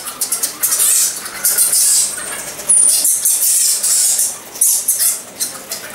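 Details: Egyptian fruit bats (Rousettus aegyptiacus) at the roost fill the air with dense, high-pitched squeaks and scratchy chatter in rapid bursts.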